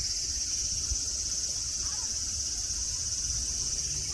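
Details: Cicadas singing at Nara Park, Japan, on a day of blue sky, green mountains and grass, among friendly deer: a steady, high, hissing drone that holds without a break, over a low rumble of background noise.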